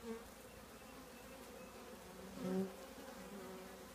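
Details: Steady hum of a honey bee colony housed in an old trash can, with a short swell of louder buzzing near the end.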